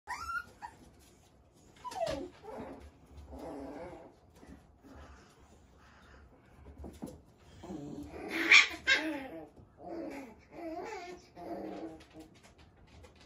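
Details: Dogs from a breeder's family group making whining, whimpering calls and short growly bursts in irregular bouts, with a louder, broader yelping outburst around the middle.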